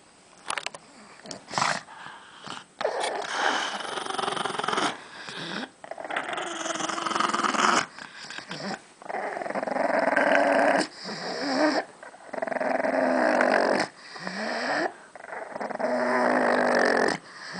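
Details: Pug named Gidget guarding a bone she has been given, growling continuously in rough, rasping bursts of one to three seconds, with short breaks and occasional higher whiny rises between the growls.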